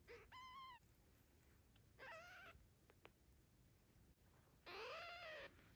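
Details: Tiny kitten in the care of a father cat, mom absent, producing three drawn-out harmonic meows, the last loudest and bending downward, separated by pauses with small clicks and a quiet indoor background.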